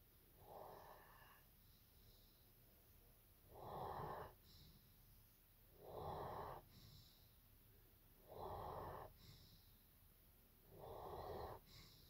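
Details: Evo the German Shepherd sleeping at nap time: five even, throaty snores, one about every two and a half seconds, with soft hissing exhales between, in a still indoor space.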